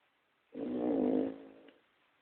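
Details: Pug Toya asleep, giving one long snore: a vibrating, nasal rasp that swells, then fades away over about a second.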